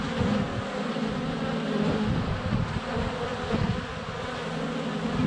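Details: Many honey bees flying around the hive entrance in sunny February weather, GoPro a foot away; thick steady hum of wingbeats with shifting tones as individual bees pass near.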